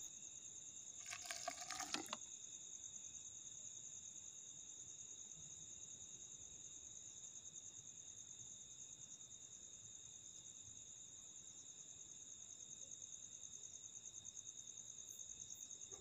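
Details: A rare dune cricket of the Thar Desert on the India–Pakistan border, which burrows 1–2 feet deep in sand dunes, trills steadily in a high, continuous ringing tone, with a brief splashy noise at the start.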